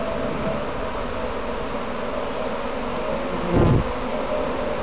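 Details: Swarming honey bees on a practice swarm near their home box, heard from among the swarm: even, continuous low drone throughout, with one brief louder buzz near the end as a bee passes close.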